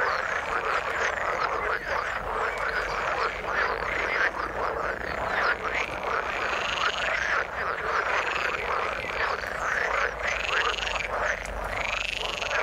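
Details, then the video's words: Frogs in the water keep up a crowded croaking chorus, with rising, looping notes repeating every second or two above the steady background of many callers. "Frog sound in the water"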